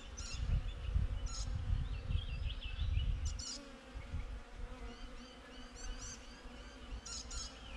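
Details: Honey bees buzzing outside a beehive, recorded on a GoPro: a steady droning hum with layered low tones, a heavy low rumble during the first three and a half seconds, and a few high, brief bird chirps above.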